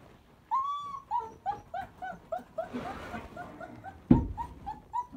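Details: Pocket phone recording of three complaining puppies wanting out to explore the house: a long rising whine, then a run of short squeaky whimpers about every third of a second, a scrubbing swish mid-clip and a thump near the end.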